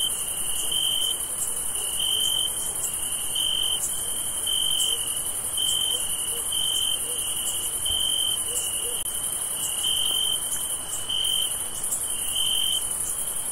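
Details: On a summer night, crickets chirp in steady, high-pitched pulses, with a thin, higher insect whine running continuously behind them.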